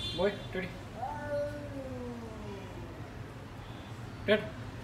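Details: A pet cat howling like a wolf: one long, steady, tonal wail lasting about two seconds and slowly sliding down in pitch, framed by a person's short calls to the cat before and after.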